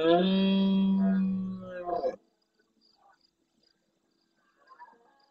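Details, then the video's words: Large red deer stag in the Doñana National Park marsh at El Rocío, Almonte, Huelva, Andalusia, Spain, roaring hard at nightfall close to a fixed live camera and answering distant stags. One loud, deep, harmonic bellow lasts about two seconds, then quiet. "Berrea nocturna en primer plano"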